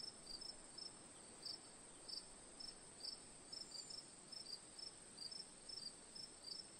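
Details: Crickets calling in a calm night-style ambience, bright high chirps of two or three pulses repeated irregularly every half second or so, over an unbroken high whine and gentle noise.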